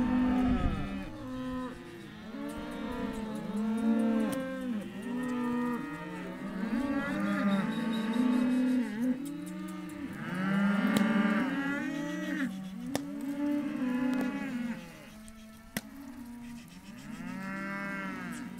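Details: Many Hereford calves at a sale lot bellowing in repeated bursts, overlapping moos rising and falling in pitch, with occasional sharp clicks and knocks from the pens.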